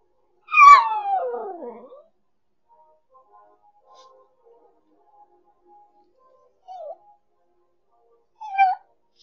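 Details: A female miniature schnauzer "sings" along to afternoon music at Christmas: a wavering howl that slides downward, followed later by two brief yelping notes.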